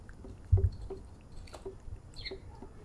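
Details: Male domestic cat purring for petting and attention: a low, steady rumble with soft rhythmic pulses, a single short thump near the start.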